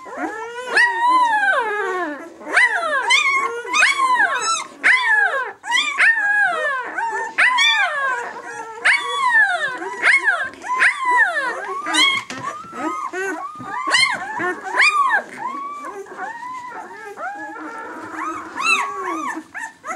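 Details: A litter of White German Shepherd puppies, six days old, whining almost continuously: many overlapping high, arching squeals and whimpers tumbling one after another for twenty seconds, busy and insistent, with no other sounds.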